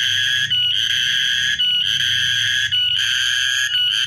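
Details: Cicada song from 14 March 2023: an intense, unbroken metallic whine held at one high pitch, with short dips roughly every second and a soft low hum underneath.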